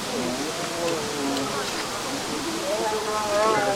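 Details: A Korean (Siberian) tiger cub at a zoo gives whiny, wavering mewls that rise and fall while keepers feed its family meat snacks during a health check, with a person talking nearby.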